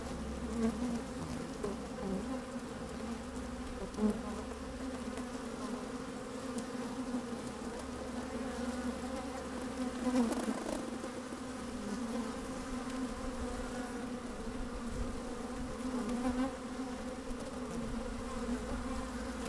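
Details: Honey bees busy in an opened hive, microphone placed down inside, sunny day with some wind; an unbroken humming drone with stacked tones, short louder buzzes at intervals, faint low wind noise.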